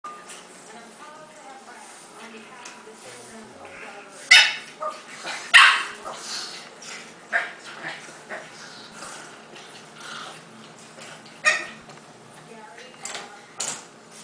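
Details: Gus, a bulldog puppy, gives a few short, sharp yaps spaced several seconds apart, with quieter whines and soft vocal sounds between them and human speech in the background.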